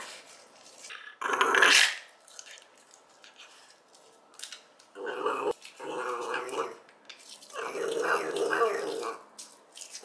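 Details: Growling from a two-year-old Shiba Inu kept as a pet that refuses to have its teeth brushed: three rough, rumbling growl bouts of one to two seconds, separated by quieter pauses with faint handling noises.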